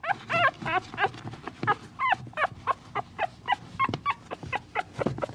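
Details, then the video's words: A puppy keeps up a run of short, nasal whimpers and yelps with wobbling, downward-curving pitch, roughly two or three per second, over low shuffling sounds. "Puppy's Plea: Whining Puppy Sound"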